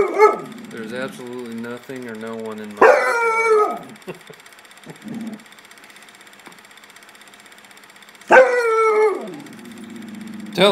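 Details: Sledge Hammer, a pet dog spooked by nothing in the backyard, gives two loud, harmonic, whining barks, one near the start and one after a quiet gap, with a person talking and urging him on early in the recording.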